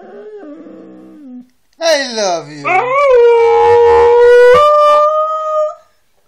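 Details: Siberian Husky starting with low murmuring sounds, then breaking into a rising yelp that settles into a long, loud, level howl held for about three seconds before a slight upward step.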